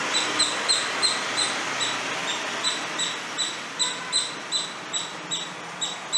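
A squirrel gives a steady series of sharp, high chirps, several each second, over a soft background hiss.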